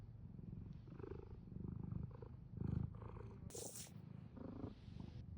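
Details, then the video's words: Purring cat with clearly rising and falling breath cycles, each swell a buzzy low rumble roughly once per second, plus one short airy hiss of rustling midway. "comforting cat purring"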